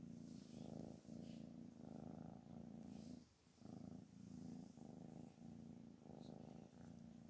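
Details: Anna, a mother cat described as angry and no longer accepting her kittens, purrs indoors: a steady low rumbling purr in rhythmic pulses about once a second, with a short pause near the middle.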